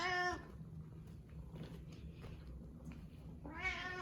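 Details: Pet cat Karu trailing its owner around the home, giving a short meow at the start and a rising, drawn-out meow near the end, with quiet indoor movement noise between.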